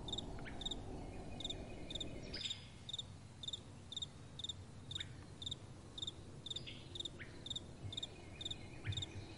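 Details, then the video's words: Crickets calling at night: bright, high chirps in short pairs, repeated about twice a second in a steady train, with a soft wind rushing low underneath and a brief gust near the start. "Relaxing Night Time Sounds | Crickets & Soft Wind"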